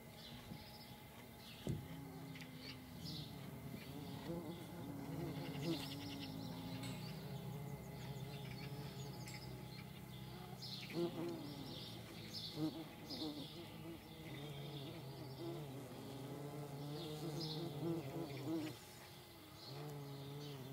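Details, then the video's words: Paper wasps in flight, their wingbeats giving a low, droning buzz with stacked harmonic bands that waver in pitch as they move about, with a few faint brief ticks and rustles higher up. "Paper wasps in flight. Feldwespen im Flug"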